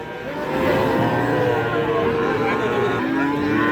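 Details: Sahiwal calves for sale at a livestock market, one giving a long steady moo that drops in pitch near the end, with men bargaining over prices and a low crowd murmur.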